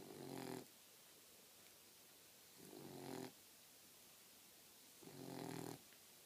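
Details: Sleeping female Boxer puppy, four months old, snoring indoors. Three throaty, vibrating snores come roughly every two and a half seconds, each lasting about half a second with a buzzy low drone, separated by near silence.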